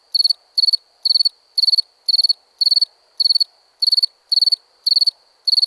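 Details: Sharp, high cricket chirps of three to four rapid pulses each, coming regularly about twice a second with near silence in between.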